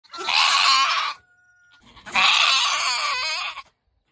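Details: A Nigerian Dwarf buck goat yells and screams while sticking out his tongue: two loud harsh wavering bleats, the first about one second, the second about one and a half seconds and quavering, separated by a short pause with a faint thin tone.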